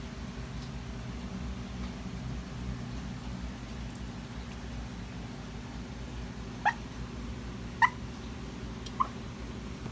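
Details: Sleeping puppy barking while dreaming: three short, soft, clipped yips in the final few seconds, about a second apart, over a steady low indoor hum.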